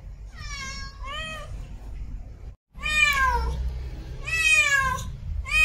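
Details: Female cat in heat calling for a mate with insistent, overlapping wavering meows, some drawn out and sliding downward, broken by a brief silent gap midway.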